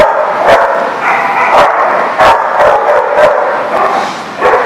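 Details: Dogs barking in a steady, overlapping run of short, harsh woofs, several bursts each second with no pause, some sharper yips mixed in and a busy, echoing background.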